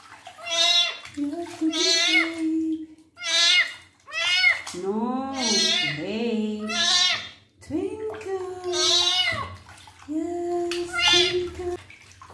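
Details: Male kitten meowing repeatedly during his first bath while his wounds are cleaned, about eight high, arched, wavering meows in quick succession, overlapped by a person talking in a low voice.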